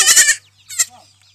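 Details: Young goat kids rejected by their mothers and being bottle-fed give a loud, harsh, quavering bleat lasting under half a second, then a shorter, fainter bleat follows.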